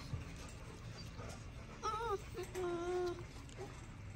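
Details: Female XL American Bully puppies, three girls, with eyes now turned green, give brief, faint, tonal whimpers. Two short whines in quick succession, the second a steady, drawn-out note, over a low, noisy indoor background with a person speaking nearby.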